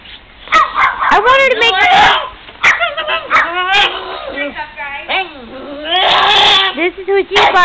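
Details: Excited pet pug reacting to snow and a neighbour's dog, producing squealing, human-like wavering screams and whimpering yips in quick bursts, with a woman talking over the calls.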